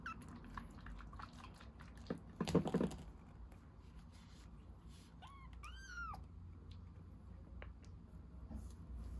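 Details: Rescued baby kitten drinking milk, giving two short high mews in the second half, each a quick rising-then-falling cry with the second longer, after a burst of rustling and soft clicking, lapping noises indoors.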